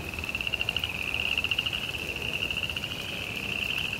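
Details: In a suburban backyard in the rain, frogs give a continuous high trill of rapid, evenly spaced pulses that never stops, over a faint wash of rainfall.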